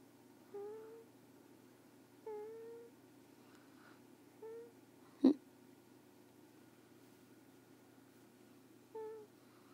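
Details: Carter, a pet sleeping indoors, makes little squeaky snoring sounds: short, nasal, whistled tones with a slight upward lift, about half a second each, returning every one to two seconds, with one sharp click midway through.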